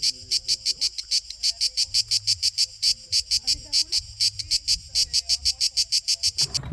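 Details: A male cicada in a region of apricot and chestnut trees sings a loud, rasping buzz pulsed about three times a second to attract females; only males sing.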